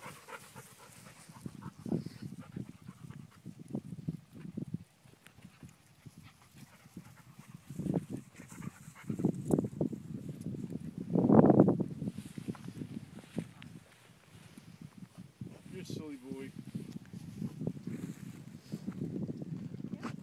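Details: Dogs, including puppies and an adult therapy dog, on a group hike chasing a green monkey toy; rapid rhythmic panting breaths continue throughout, with a brief louder burst midway and a short squeaky toy-like sound later.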